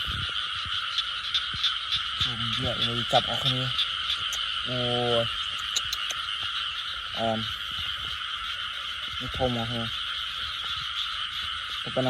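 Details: Frogs call at night with short, harmonic, nasal croaks, single or in pairs, scattered every second or two. A loud, continuous insect trill dominates the higher pitches.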